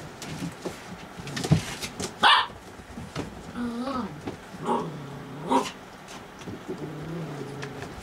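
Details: Playful puppies at night make wavering, whining yips that slide up and down in pitch. One sharp bark stands out early, amid background shuffling.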